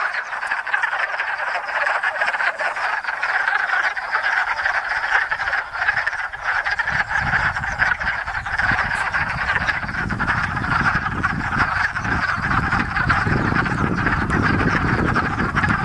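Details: Wood frogs by the hundreds calling at a breeding pond in Enosburgh in spring, a dense rattle of clucking croaks running continuously, joined in the second half by a low rumbling background noise.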